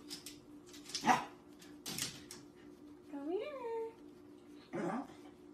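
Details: Little Corgi getting a tummy scratch in a small room, letting out one rising-and-falling whimper in the middle, framed by human speech and a sharp scratching noise before and after; constant low electrical hum.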